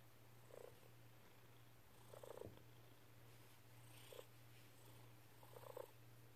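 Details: Snuggly house cat Dexter purring on a lap while kneading with happy paws: a strong, even low purr runs the whole time, with four brief chirrups spaced about two seconds apart over a quiet indoor background.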